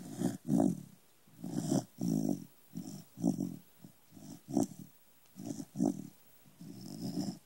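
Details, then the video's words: Sleeping corgi, little and indoors, gives rasping low snores in rhythmic bursts about every half second to one second, some louder and longer than others, over a quiet room background. "Little snores"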